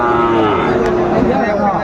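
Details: Five-month-old Sahiwal bull calves for sale at the Raniganj market, Dinajpur, 20 February; a short, steady, low harmonic moo continues throughout, mixed with nearby talk and market crowd noise.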